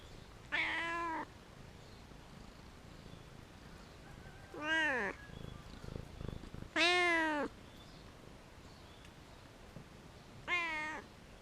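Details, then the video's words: Very vocal cat on a wall meowing four times across the stretch, loud harmonic calls, some arching down at the end, with a brief rustling patch between the second and third calls. "Very Vocal Cat Meowing On The Wall"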